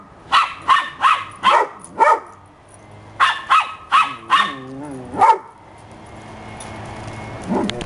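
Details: Happy pups in December bark in two quick runs of four or five sharp barks, with a wavering whine between, then one last bark and a soft yip as things go quiet.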